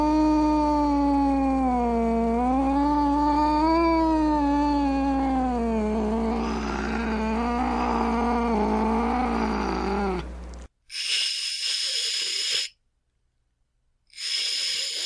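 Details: Angry domestic cat giving a long, wavering low moan that rises and falls for about ten seconds, then two harsh, breathy hissing bursts separated by a short silence.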